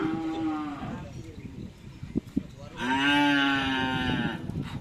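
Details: Cattle mooing during karapan sapi bull racing training at the Asemanis field, Pamekasan. A short level moo, a pause with clicks and crowd noise, then a second longer, louder moo that dips slightly in pitch.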